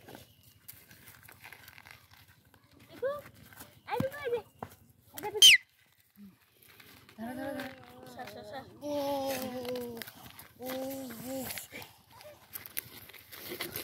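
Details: Baby goats playing with a human baby; several wavering, tremulous bleats with a steady buzzy tone, the longest ones running together in the second half, after scattered short calls, soft rustling and a brief high squeal.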